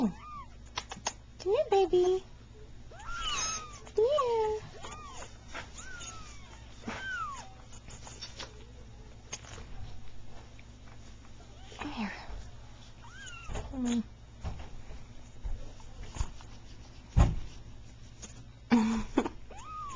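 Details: Three-week-old Persian kittens, two red and white and one cream and white from a calico mother, just starting to play; repeated thin, high falling meows come in bursts over a person's soft coaxing speech indoors.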